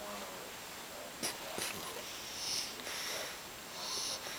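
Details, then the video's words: Alfred, a bulldog puppy about three months old, snoring in his sleep, loud enough to be heard through the house walls: breathy, wheezy, hissing snores that swell and fade about every one and a half seconds, with a couple of sharp snorts early on. "Alfred, the bulldog puppy, snoring like a 50 year old man"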